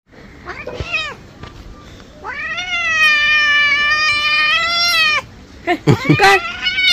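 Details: An angry pet cat yowling while being bathed: a short meow, then a long, drawn-out, loud wail lasting about three seconds, followed by several brief sharp cries, with splashing and a woman talking in Bengali.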